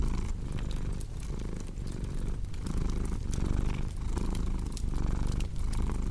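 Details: Cat purr heard as a loud, throaty low drone pulsing in breath cycles of roughly one second, accompanied by the crisp crackling of a fireplace.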